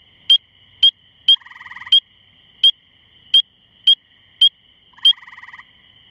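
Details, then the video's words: Spring peeper calling from about two feet up in a small shrub outside the Cornell Laboratory of Ornithology, May 11, 2015, around 9:45pm on a misty evening after rain: sharp high rising peeps about every half second, with a buzzy trill from other frogs. "Spring Peeper calling"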